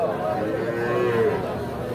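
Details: Calf at the Ambari cattle market lowing with a drawn-out, wavering moo, with people talking nearby and background music.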